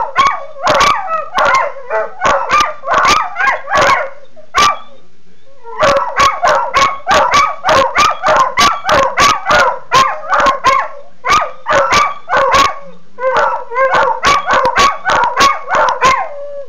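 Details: Two dogs, a male and a female, barking while squabbling over a bone she refuses to give up; rapid, harsh overlapping barks in dense bursts, with a brief pause near five seconds, then continuing steadily to the end.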